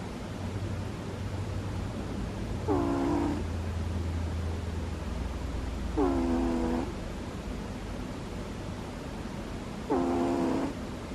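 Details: Butters the sleeping dog gives cute little snores: three short, nasal, whistly squeaks with a slight downward bend, each under a second, arriving about every three and a half seconds over a steady low hiss.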